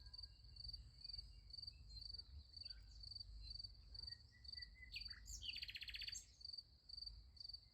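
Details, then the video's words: Crickets chirping at night next to a sunflower field, a thin high pulsing line repeating quickly and steadily, with a loud rasping burst from another creature about two-thirds through and faint low rumble beneath. "Nice Sunflower Field with Crickets Sound Effect"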